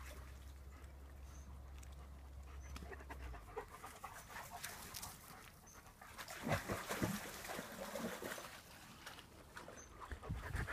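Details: German Shepherds at play in a pool; breathy, rhythmic panting at roughly two breaths a second, growing louder in the second half, over trickling water and a low hum that stops after three seconds.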